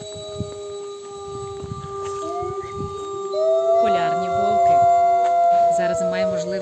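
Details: Arctic wolves at Limpopo Zoo in Medenychi, Lviv region, Ukraine, howl together as a pack in long, sliding tones that rise and fall, with a person talking over them.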